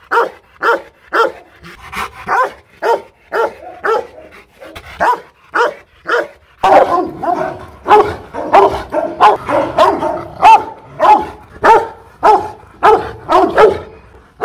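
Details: Rottweiler Loki Gervi, hostile and barking at a Vietnamese kennel in Hanoi: evenly spaced rough barks at first, then after about six seconds a louder, denser stretch of overlapping barks with heavy, growly undertones.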